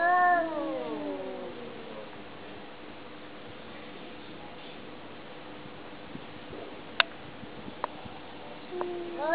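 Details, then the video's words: Domestic cat communicating: a falling meow opens, followed by long quiet with faint room hum, a few sharp clicks or taps, and a short rising meow beginning at the very end. "How cats communicate"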